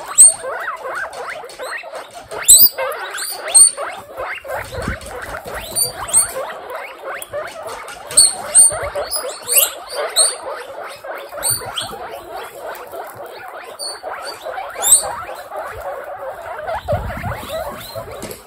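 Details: Many guinea pigs, young animals kept as pets in a large group, give dense overlapping chirps and squeaky wheeks, short rising and falling notes crowding together, with occasional sharp high squeals and soft rustling patter.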